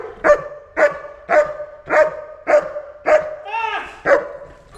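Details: German Shepherd, a personal protection dog, searching a building on 30 September 2015; loud, sharp barks repeated about every half second, eight in a row, with one brief rising whine-like yelp in the middle.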